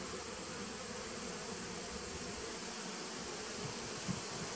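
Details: Honey bees in a nucleus colony started in 2017, recorded 19 September 2018: a steady, dense droning hum with no breaks, a constant even buzz filling the whole stretch, plus a faint high steady whine.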